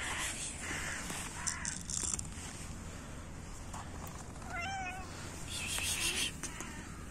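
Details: Hungry cats in winter, begging at feeding time: a single short wavering meow near the middle, heard against a constant low hum and bursts of hissing, rustling noise.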